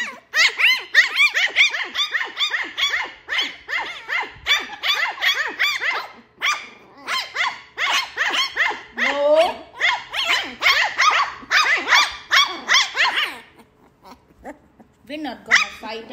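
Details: Playing and fighting Lhasa Apso puppies, Max and Ginger, yap rapidly in long shrill bursts with squealing whines, fading near the end as a woman tells them not to fight.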